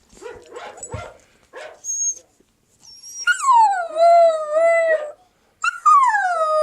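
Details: Young pet Siberian Husky: short yips and squeaks first, then a loud howl that drops sharply and holds, wavering slightly, followed by another rising howl after a short pause.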